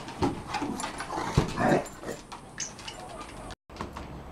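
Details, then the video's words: Rolex, a 1-year-old female Shar Pei, and Ellie, an 8-month-old Kelpie x Border Collie, play and try to grab each other's cheeks. Short growly vocal bursts come in quick, uneven succession over scuffling and rustling. "playing round 1"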